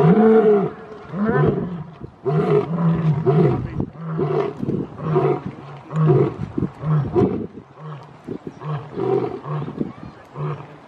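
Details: Lion's roar, described as marking territory and keeping contact with its pride: a series of deep, resonant grunting moans, loud at first, then shorter pulses repeating roughly every second and fading toward the end.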